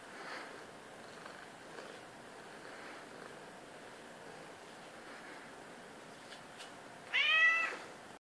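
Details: At 3:30 am, Miss Masala, a seven-year-old domestic medium hair house cat, demands a pat with one loud, clear, harmonic meow near the end, after several seconds of quiet room hiss and faint rustles.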